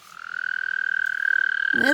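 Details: A toad trying to mate gives a sustained, buzzing trill of rapid pulses at a steady high pitch, growing louder throughout, with a man's voice starting at the very end.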